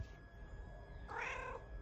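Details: Pet cat meowing in reply as its owner talks to it: one short harmonic meow, bright and slightly rising then falling, about half a second long near the end, over a low indoor hum.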